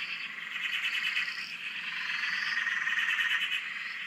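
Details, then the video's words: Many frogs chorusing at a dam in Australia, taken from a shack nearby; overlapping rapid croaking trills form an unbroken buzz, with two or three thin rising notes sliding upward above it. "Frog Chorus- Australia"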